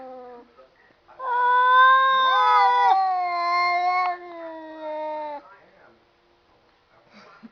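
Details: Cats talking: after a faint opening mew, a long drawn-out yowl lasts about four seconds while a second rising, wavering meow overlaps it midway. Both fade out, leaving near silence with a few soft noises.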